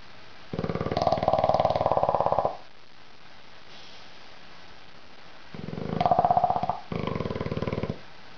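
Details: Little Mondo, a bulldog, snores loudly in his sleep in a small room. Two drawn-out, rattling snores about two seconds each are separated by a quiet pause of several seconds.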